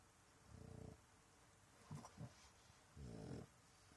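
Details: A French Bulldog snores in low, rattling, rhythmic breaths, apparently pretending to sleep to avoid going outside for a wee.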